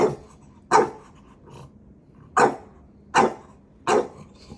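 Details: Dog teasing and testing the patience of its big brother indoors; five short, sharp barks come in bursts roughly every second, with pauses between them and quiet background.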